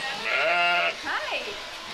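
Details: Domestic sheep on a small farm, being herded in for spring shearing as the weather warms; one long harmonic bleat with a steady wavering tone lasts about half a second, followed by a shorter falling call, people talking nearby.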